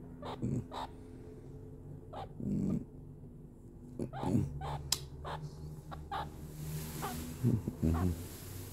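A meerkat gives short, low, grunting calls in irregular bursts, with soft growly tones between them.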